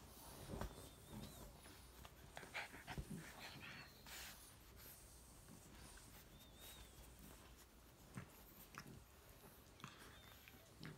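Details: Two French bulldog puppies, a chocolate male and his lilac fawn sister, play fighting on a couch indoors; soft irregular snorts, huffs and scuffling bursts, with a few faint high squeaks.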